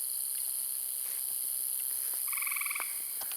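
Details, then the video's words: At fading twilight going into night in a forest-garden, a tree frog, the loudest critter, gives a very loud brief, rapid pulsed trill over a steady high insect hum. "Very, very loud, isn't it?"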